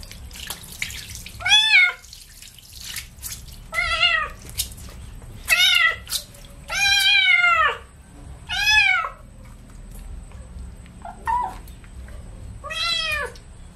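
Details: Kitten being washed with baby shampoo, giving a series of short, sharp meows roughly every second or two, some rising then falling, over running water and splashing.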